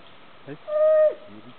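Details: An indri, feeding on leaves high in the trees of the Andasibe National Park rainforest in Madagascar, gives a single long, steady wailing note that bends downward at the end.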